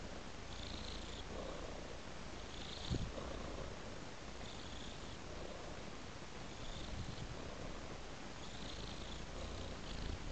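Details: Domestic cat purring while following a trail of raw meat; a steady low rumble throughout, with soft breathy swells recurring about every second and a half, plus one brief click near the third second.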